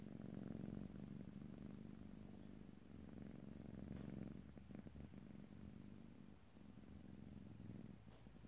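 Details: Domestic cat purring recorded ear to ear: a rich low rumble with rapid even pulsing that swells and fades with each breath, and brief soft rustles; calm quiet room, no voices.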